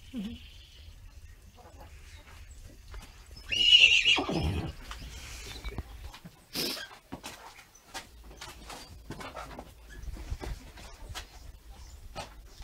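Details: Six-week-old foal being fitted with a halter for the first time: a single high, shrill whinny about a second long near the middle, among scattered clicks, knocks and light hoof taps.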